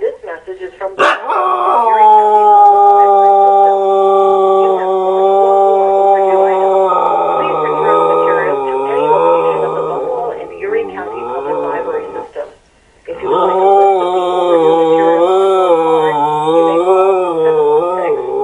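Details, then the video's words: Pet dog howling at an answering machine indoors: long sustained wavering tonal howls with rich harmonics, rising and falling in pitch, nearly continuous for about twelve seconds, a brief pause, then more wavering howling. "Funny Dog howls at answering machine"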